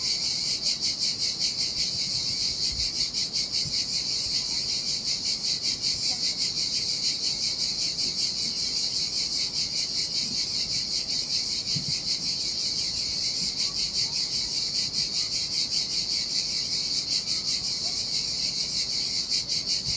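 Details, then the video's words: On a lonely Sardinian beach in the heat, cicadas keep up a dense, high, shimmering buzz with rapid even pulsing for the whole stretch; only a faint low rumble of sea lies underneath. "Ocean Waves & Cicada Sounds - The Most Relaxing Waves Ever - Cicadas by the Sea"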